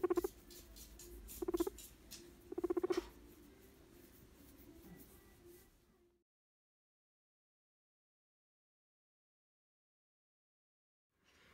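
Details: Male pet guinea pig that did not want to be stroked, giving a deep purr as a back-off warning rather than a happy sound: three short buzzy, low rumbling bursts within three seconds, then silence.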